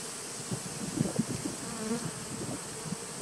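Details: Honey bees in a nuc colony from 2017, recorded 19 September 2018: a low, steady buzzing hum with brief louder flickers of wingbeat around the lower pitches, as of bees flying close by.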